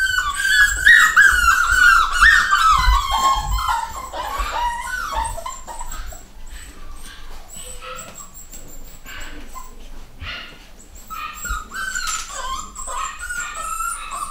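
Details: A litter of 9-week-old pedigree miniature dachshund puppies, both males and females, squeals and whimpers in a busy, overlapping chorus.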